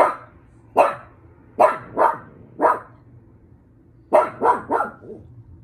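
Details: A pug barking indoors: single sharp barks spaced about a second apart, then a quick run of three or four barks near the end, over a faint low hum.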